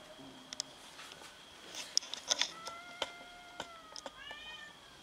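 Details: Domestic cats squabbling over food give a run of long, clear meows, each falling in pitch, with sharp clicks and clatter between them and a steady high background tone.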